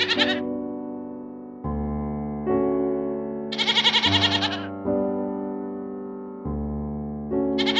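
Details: Goat giving a wavering, pulsed bleat midway through, with shorter cut-off bleats at the start and end, all set against continuous piano music.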